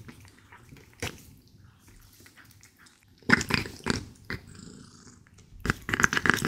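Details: British Shorthair cat named Paige purring while eating raw beef indoors: a soft, low, steady rumble through the first seconds, broken by loud wet chewing and smacking bursts near the middle and end.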